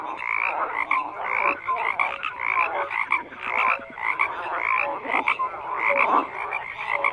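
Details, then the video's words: Dense chorus of croaking frogs, raspy pulsed calls bursting roughly once a second amid constant overlapping voices, no other sounds. "FROGS CROAKING"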